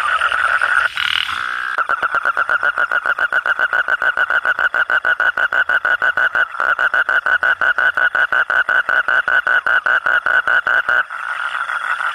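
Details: Katak bangkong, a frog known locally as kodok kurok or orok-orok, giving a long rapid series of pulsed croaks, dozens of short beats delivered evenly for about nine seconds, with a dense frog chorus heard briefly at the start and end.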